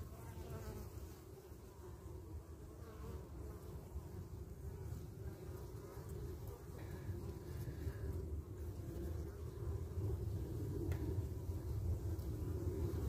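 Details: At the hive entrance, Carniolan honey bees guard and fend off wasps, the entrance kept small; a dense, continuous low buzz that slowly grows louder over the span.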